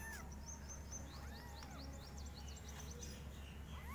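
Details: Five kittens meow very loudly, each in a different style, giving short, high, arching calls that rise then fall at irregular spacing. A constant low hum sits underneath, with quick high chirping streaks in the background.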